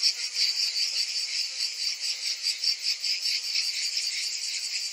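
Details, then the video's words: Summer cicadas in full chorus, a continuous high-pitched buzz that swells and fades in soft pulses roughly every half second, unbroken throughout, with no other animals or noises. "Cicadas in Summer"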